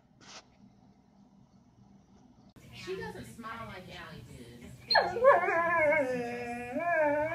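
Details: Doberman indoors: after a quiet, murmuring start, a sudden high whine breaks in and carries on as a wavering, drawn-out moan with a woman's voice nearby.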